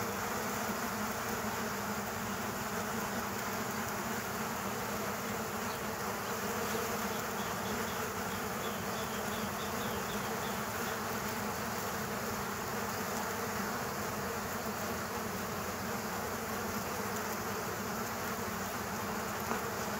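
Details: Hornets fighting bees at an underground ground-bee nest: a steady, dense insect buzz that holds for the full twenty seconds, with layered humming tones and no clear breaks.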